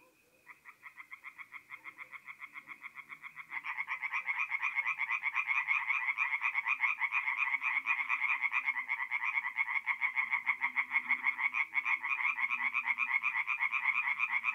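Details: Tree frogs singing at night in a forest pond in North-East Italy during mid-April: one caller's fast repeated croaks build into a full, louder chorus after a few seconds, continuing dense and rhythmic.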